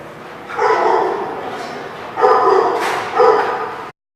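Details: Dog at a place called the Barking Lot, recorded 12/05/16: three hoarse barks spaced about a second apart, each with a drawn-out harmonic tail, over steady background noise.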